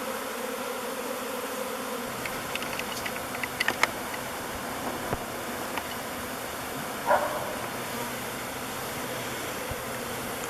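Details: Honey bees swarm at Bee Beard, a log hive chosen as their new home, thousands of them flying before they enter the entrance. The steady hum continues beneath scattered clicks and ticking sounds.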